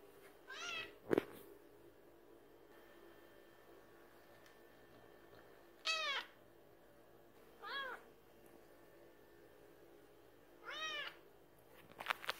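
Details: Domestic cats demanding a late-night feeding: four separate drawn-out meows, each rising then falling in pitch, spaced two to five seconds apart, with a couple of sharp clicks or knocks in between and a quiet background.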